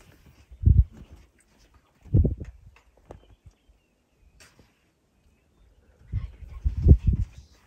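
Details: A lesser kudu at Selenkay Conservancy, Amboseli, gives three low, rough, muffled short calls, the first two close together and the last after a longer pause.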